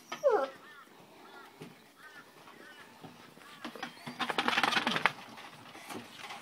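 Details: Black Great Dane puppies whimpering: a sharp high yelp opens, followed by a run of short, thin, arching whines every half second or so, then a burst of broadband rustling and scuffling.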